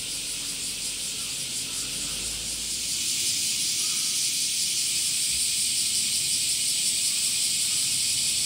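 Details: Male cicadas singing in summer, a dense continuous high-pitched buzzing hiss with a fine pulsing texture that holds steady and grows slightly louder after three seconds, with faint low rumble underneath.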